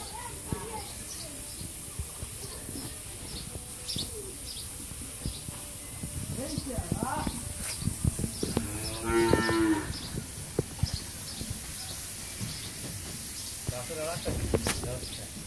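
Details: Ten-month-old Jersey heifer calf on a dairy farm in Pabna, Bangladesh, lets out one drawn-out, harmonic-rich moo near the middle, with scattered short bird chirps and a steady background hiss.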